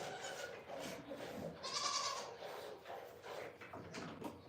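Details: Goat at The Willful Goat Farm & Home giving one short, wavering bleat near the middle of the clip, set against a steady hiss of background noise and faint shuffling.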